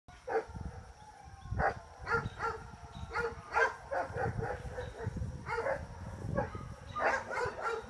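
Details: Giant Schnauzer named Hattie, one year old, during hand signal exercises; a run of short harmonic barks and yips comes in bursts, some doubled, over soft handling noise.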